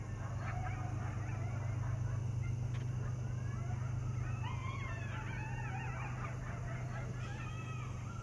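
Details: Coyote pack at night in a rural area of Missouri, stirred as the train passes: a burst of high, rising and falling yips and wavering howls in the middle, over a constant low train drone.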